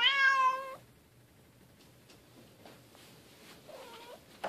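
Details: Playing Bengal cats, silver kitten Keylala together with sister Luna and mom Xia; a loud, clear meow lasting under a second opens, followed by quiet ticks and a faint, short second meow.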